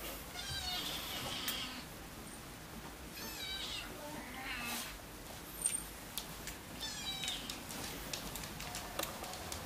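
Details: Siamese cats indoors in August 2009, as three-month-old kitten Keiko moves in with her one-year-old half-brother Zen; a few soft, high, harmonic meows rise and fall amid rustling and light handling noise, filmed on a Sanyo Xacti camera.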